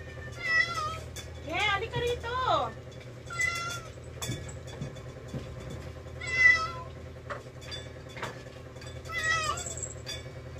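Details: Rescued domestic cats at mealtime meow repeatedly, each call a harmonic, slightly wavering cry, several in a row spaced a few seconds apart, while a woman talks to them in Tagalog with laughter in the background and a low hum underneath.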